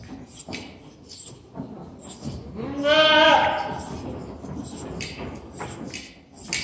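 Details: During an old-school hand-scissor shearing, an Angora goat gives one strong, quavering bleat near the middle, with human voices and handling sounds before and after.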